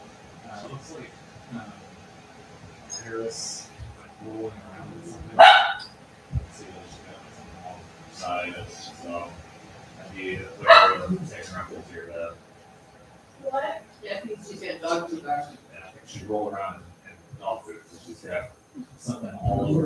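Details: Cavalier King Charles Spaniel puppies raised indoors, playing in the house; sharp yips and barks burst out in scattered bursts, two loudest near the middle, while people talk steadily in the room.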